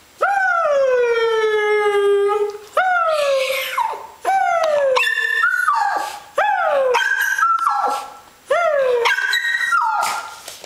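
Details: Female pet dog lying down and howling in response to a boy howling at her; long drawn-out tonal howls that bend downward, about five phrases with brief breaks, some wavering and yodel-like, and a person urging her on.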